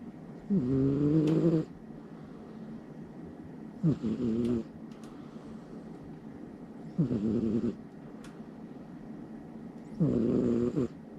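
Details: Somali cat sleeping soundly at night beside its owner, snoring loudly: four rasping, nasal snores about a second long, each with a layered harmonic buzz, spaced roughly three seconds apart with quiet breathing pauses between.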